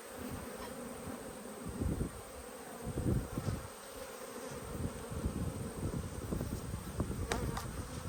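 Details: Honey bee hive opened for inspection on 19/3/22, the brood in good condition: dense humming of many bees, with rough, crackling bursts of handling noise and frame knocks rising and falling over the drone.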